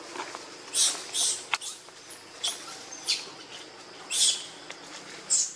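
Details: Baby monkey Lucie, hungry and crying for milk, foaming at the mouth; shrill high-pitched squeals come in short bursts about once a second, with quieter rustling between them.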